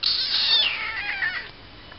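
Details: Loud meow from a tiny kitten, starting high and bright, then sliding downward into a fading wavering tail over about a second and a half, in a small quiet room.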